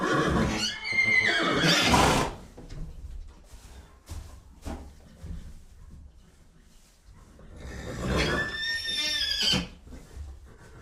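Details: Horse neighing: two loud whinnies, one near the start and one after a long quiet gap, each a shaky, high, wavering cry with many overtones that slides downward. Faint thumps and low indoor noise fall between them.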